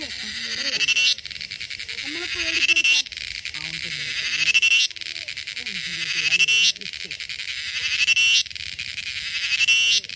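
A cicada's loud, shrill buzzing swells in bursts, each rising to a peak before cutting off.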